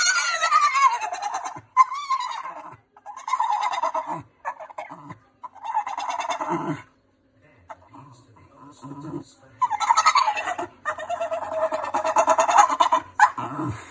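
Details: Ripley, a female Staffordshire bull terrier kept as a pet, stressed by the neighbour's cat, gives loud bleating, goat-like whines in repeated bursts of one to two seconds, each wavering in pitch, with short gaps between.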